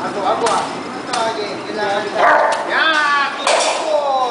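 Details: Arko, a dog in bite work training, urged to bark before the bite: three short, sharp barks spaced about a second or more apart, with a person's voice talking and calling in between.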